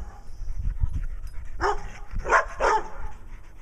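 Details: Brown Dog barking in Wadena, Minnesota, while another dog, Stella, plays around for attention. Soft thuds lead into three loud, broad barks in quick succession.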